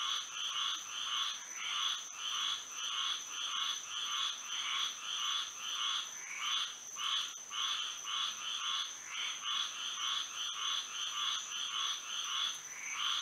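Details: Frogs in Florida sing through a moonlit night, their buzzy croaks pulsing in quick regular bursts near two per second, merging into a dense chorus against a steady high background hum.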